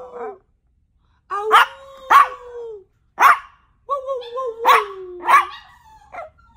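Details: Yorkshire Terrier barking a few sharp times, each bark trailed by a drawn-out whine that sags gradually in pitch, with short gaps of quiet between.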